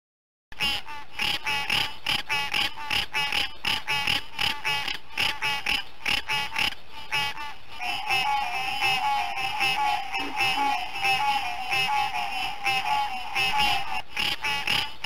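Green tree frogs give dense, rapid, nasal clucking calls, several voices overlapping in a steady chorus.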